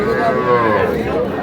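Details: Cow at a cattle market in Gaibandha, Bangladesh, on 10 August, where a farmer buys cows: a drawn-out, tonal moo, its pitch gently wavering, over people haggling and general crowd chatter.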